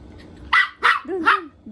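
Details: Poodle puppy playing hide and seek, giving three sharp high barks about a third of a second apart, the last sliding into a short whiny yelp, over a faint low hum.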